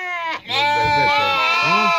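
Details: Turcana lambs, offered for sale around Easter, calling in a group: a steady, nasal bleat holds level while a second, shorter bleat breaks in, with lower rumbling voices beneath.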